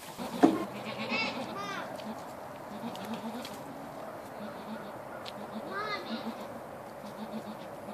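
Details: Baby goats in a barn, wagging tails and jumping about; a few short wavering bleats near the start and again around six seconds, over a steady background hum with some human voice.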